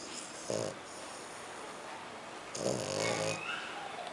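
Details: Snoring from Kiko, a French Bulldog and Pug: a brief snort followed two seconds later by a longer rasping, buzzy snore, with low hiss between breaths.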